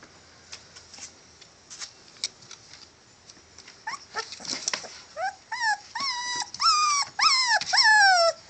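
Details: Catahoula bulldog puppies, all males, start with scattered clicks and shuffling, then build into a run of loud arching whines, each rising then falling, coming faster and stronger toward the end.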